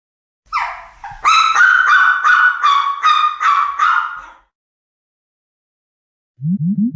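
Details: A four-year-old female Yorkshire Terrier staying at a dog cottage at a Karuizawa hotel, Japan; a high whimper rising into a string of about six drawn-out, nasal whining yelps over three seconds, followed by silence and a few low grunts.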